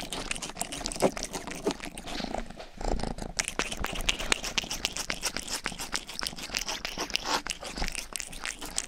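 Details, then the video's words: Youngest house cat Rangi purrs while grooming a 3Dio binaural microphone, giving a faint low purr under rapid, irregular wet licking clicks; one brief louder rustle near three seconds. "ASMR 하는 고양이!(Purring & ear licking sound)"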